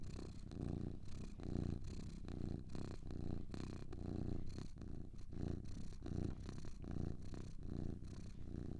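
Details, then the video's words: Two cats purr steadily, a rumbling low drone that swells and fades with each breath in a loose rhythm of about seventy pulses a minute, soft hiss accompanying the breathing. "Two Cats Purring"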